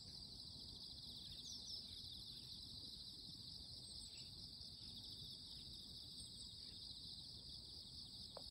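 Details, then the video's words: A steady, loud morning insect chorus of high, rapidly pulsed buzzing with a fainter, even higher whine layered on top, holding constant throughout above low-pitched ambient noise and occasional soft clicks. "Loud noise from the morning - the voices of insects"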